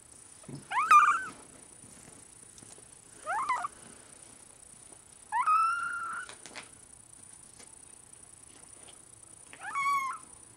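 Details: Four drawn-out, wavering meows from Benito, a large-spotted Bengal kitten, come every two to four seconds, each swooping up and then sliding down, with near silence between them.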